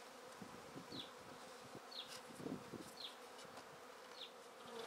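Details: Honey bee swarm being taken from a tree directly into a swarm basket: a steady low droning hum, with a short high bird chirp repeating roughly once a second over it.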